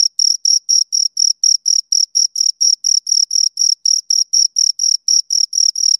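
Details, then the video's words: Pair of crickets giving clear, high, ringing chirps, each pulse slightly longer and spaced about twice a second. The rhythm is regular and the surroundings dead silent. "Two Crickets Chirp Sounds"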